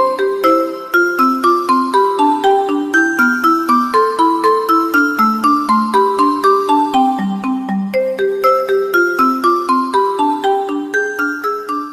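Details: Bright mallet-percussion music like a glockenspiel or marimba plays a steady repeating melody, with no animal sound present.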